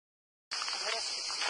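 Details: Cicadas in a dense pine forest at Porto Cesareo, Puglia, sing in a steady, high, hissing buzz that starts abruptly after a brief silence.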